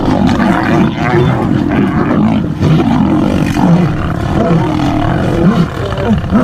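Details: Male and female lions fighting in the wild; continuous deep, rough growling and snarling roars throughout, loud and dense with overlapping low rumbles.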